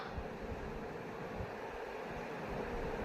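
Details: Steady low hum of a fan or air conditioner fills a small room, with no other distinct sounds.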